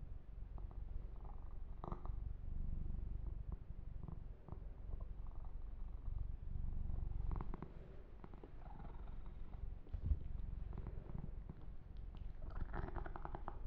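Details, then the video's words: Massaged kitten Yumak gives a strong, steady purr, a low pulsing rumble throughout, with occasional fur-rubbing strokes and a small knock partway through. "Kitten Massage - Perfect Sleep Helper Ear to Ear Purring"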